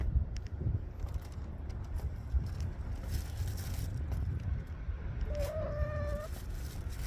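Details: Street cat meowing between bites of dry food: a single clear meow of about one second near the end, with a slight rise and then a level tone, set against steady low traffic-like rumble and faint rustling.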